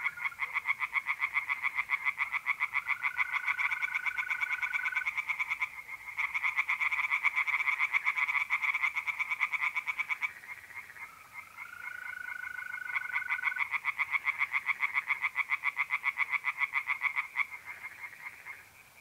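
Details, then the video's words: Tree frogs in a pond in north-eastern Italy on a mid-April night, a dense, nearly continuous rattling chorus of rapid pulses with short lulls, while mole crickets give steady, unwavering trills in the background. "relaxing singing tree frogs in pond and trilling mole crickets by night"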